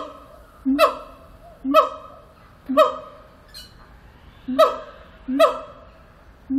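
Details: Siamang at Antwerp Zoo giving loud, abrupt bark-like notes, each a short harsh burst with rich harmonics, repeated roughly once per second with quiet gaps between.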